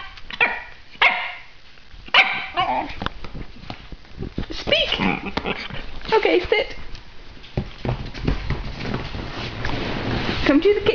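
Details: Male Italian Greyhound about three years old, a vocal dog doing tricks, barking on the speak command and bobbing his head like a pigeon; several short sharp barks scattered among a person's talking and household noise.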